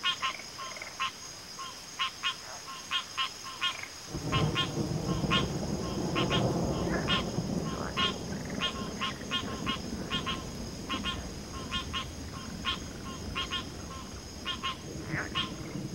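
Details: Frog chorus of rapid clicky notes, several per second, continuing throughout while a broad low rushing noise like wind or handling starts after four seconds; a steady high drone runs underneath.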